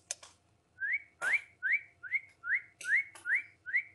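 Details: Siberian Husky. High, thin whines from Siberian Husky puppies slide upward, each short squeak following the last about twice a second. Sharp clicks and clatter break in now and then.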